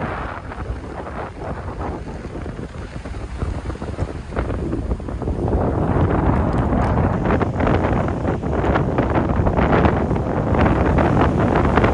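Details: Strong wind buffets the microphone on a beach, with broadband roaring noise and possible surf, growing louder in the second half; no animal voices stand out.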